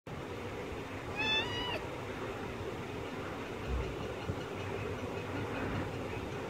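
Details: Kitten stuck in a net gives one high, clear meow, rising slightly and then falling, lasting about half a second, over a steady hiss of background noise with faint rumbling.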